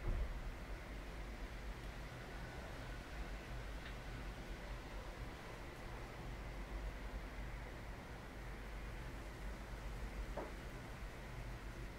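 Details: Steady broadband hiss with a low rumbling hum, like a fan or distant traffic, unbroken throughout and without any animal call.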